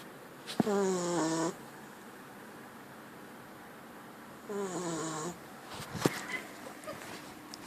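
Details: Puppy snoring in its sleep: two squeaky, whistling breaths about four seconds apart, each with wavering tonal harmonics, followed by a brief sharp click in a quiet room.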